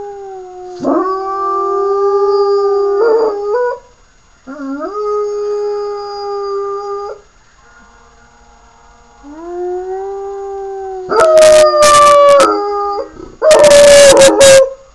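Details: Sirius, a puppy, howling in a string of drawn-out, wavering notes with short pauses between them, some ending in quick wobbles, followed by sharp yips and barks bursting in near the end.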